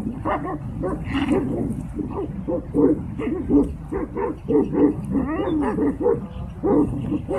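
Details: Tibetan Mastiff fighting a wolf; continuous harsh barking and growling, overlapping barks in rapid clusters with no pause.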